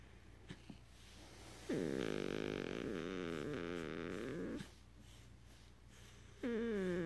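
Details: Pet beagle indoors making a so-called purring sound: a rough, buzzy, vibrating rumble with wavering pitch lasting about three seconds, followed by a high-pitched human voice.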